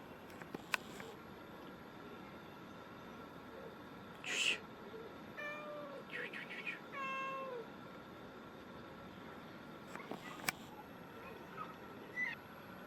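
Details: Black cat in Himachal Pradesh, India, giving several soft, tonal meows in the middle of the recording, each a smooth drawn-out note with a gently bending pitch, amid sharp clicks and a steady background hum.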